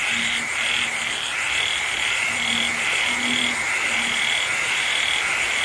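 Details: Frogs calling with insects during a rainy night in the Vietnamese countryside: a run of short, low, repeated croaks set against constant rainfall and a shrill, pulsing insect drone.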